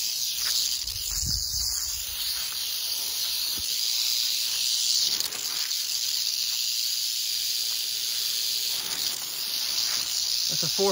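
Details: Roughly four-foot canebrake rattlesnake on a dirt road in North America, humid and windy at 81 degrees before a tropical storm; unbroken high sizzling rattle throughout, a few low bumps and taps of movement.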